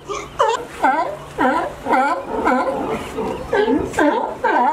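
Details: California sea lions climbing over a fence to reach a favourite sunny resting dock, giving a rapid series of hoarse, honking barks, about two per second, over a steady low rumble of background noise.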